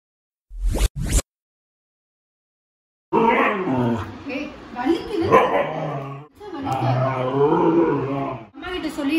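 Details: A female Siberian Husky, angry after being left alone for five hours, 'talks' in wavering, yodel-like moans and grumbles while arguing with and biting her owner, over background music.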